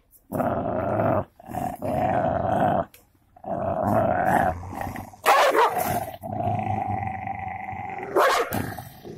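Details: Two dogs, a Golden Labrador and a cocker spaniel, fighting; sustained harsh growling in several long bursts, with sharp snarling outbursts near the middle and end.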